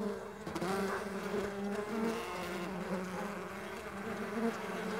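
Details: Dense, even buzzing from several Mandaçaia stingless bees in flight: a low continuous drone rich in overtones, with pitches sliding slightly as individual bees move about.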